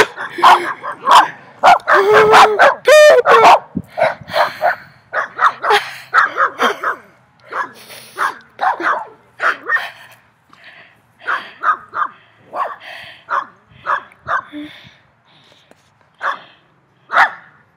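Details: Three dogs barking loudly, a long yelping, wavering bark early, then repeated barks about twice a second that fade and thin out toward the end.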